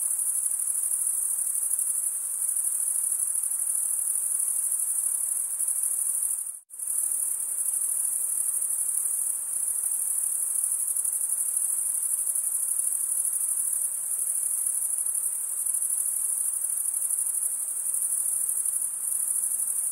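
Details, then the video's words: Crickets chirping through wing stridulation; a constant high-pitched shimmering trill lasts twenty seconds, broken only by a sudden split-second silence around the six-second mark before resuming at the same level. "Most relaxing cricket sound for 8 hours"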